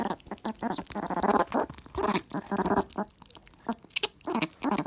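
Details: Meerkat kept as a house pet, excited over a jelly snack fed without a dish, making bursts of buzzy, tonal chattering calls in clusters separated by brief pauses, with messy eating noises between them.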